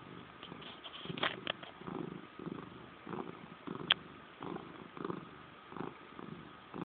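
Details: Purring from Salem, a house cat, described as passive-aggressive; low rhythmic rumbles in breath-length bursts, joined by a few brief higher scratchy sounds and one sharp click midway.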